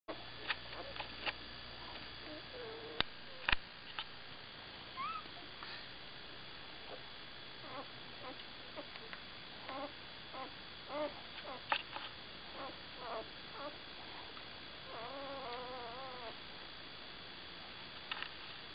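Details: Newborn puppies being cuddled give faint, scattered high squeaks and short whimpers. Near the end comes one longer wavering whine. Soft rustling from handling and a steady background hum run throughout.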